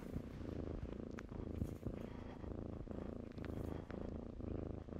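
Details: A softer, quieter purr from kittens playing in blankets, a low breathy throb with faint clicks and soft fabric rustles.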